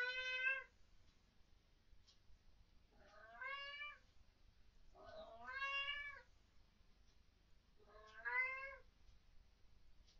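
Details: Pet cat Fluff indoors at night, vocal about what its owners call ghosts or orbs: four drawn-out harmonic meows, each bending up then down, spaced about every two to three seconds over a quiet background.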